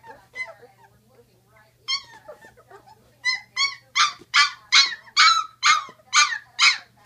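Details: Great Dane puppies aged sixteen days, scattered soft squeaks giving way to a loud regular series of strained, harsh whines roughly twice per second.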